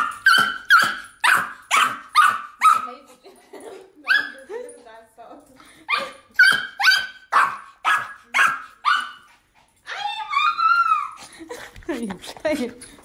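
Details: Pomeranian dog barking indoors in two quick bursts of sharp, high, yappy barks, about two per second, separated by a brief pause, then ending in higher whining, squeaky sounds mixed with faint voices.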